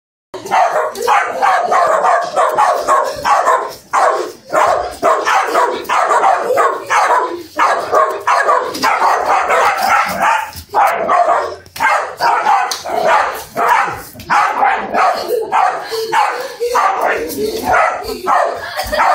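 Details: Italian Greyhound recorded on an Android phone, barking in rapid, sharp, yappy bursts almost without pause, with volleys broken by brief gaps every few seconds.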